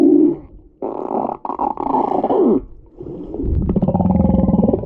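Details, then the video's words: Humpback whale crying or snoring: rough, roaring bursts with a low, throaty edge, the longest holding about two seconds, broken by short gaps of quiet. "Humpback whale crying or snoring"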